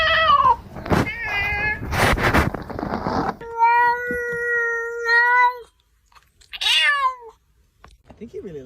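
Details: Frightened domestic cat giving a run of loud, drawn-out meows, some falling in pitch, one long steady wail held for about two seconds, with a person talking and music in the background.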